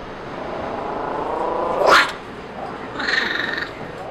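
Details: Female ocelot kitten, six weeks old, handled by animal health staff during a wellness exam behind the scenes at Seattle's Woodland Park Zoo; a sharp brief cry, then a short tonal call with bright overtones, amid staff talking.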